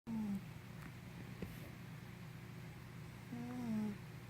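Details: Henna, a sleepy puppy, snoring indoors: a steady low rumbling drone throughout, with a squeaky whistled whine at the start and another rising-then-falling squeak near the end.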